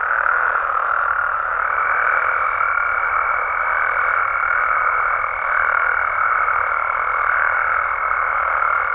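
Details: Frogs and toads of Mexico at night producing a dense, steady croaking chorus; after a couple of seconds a high, even whine enters and persists until the end.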